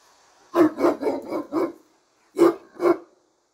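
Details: A Turkish Great Dane behind a bar gives deep, booming barks, four in a quick run, a pause, then two more.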